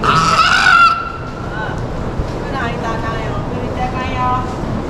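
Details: A South American fur seal pup, born 18 June 2023 at an aquarium, gives a loud, bleating, harmonic cry lasting about a second, then quieter murmurs.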